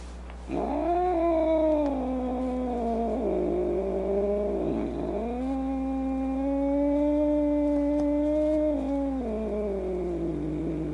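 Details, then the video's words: Domestic cat holding a long, wavering yowl for about ten seconds, the tone dipping briefly twice before leveling into a steady sustained howl and falling off at the end, with a low constant hum in the background. "Cats Who Make Funny Noises"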